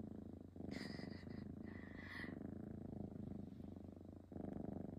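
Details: Domestic cat purring in a steady, low, rhythmic throb, with brief higher tonal sounds over the first two seconds and a louder swell near the end.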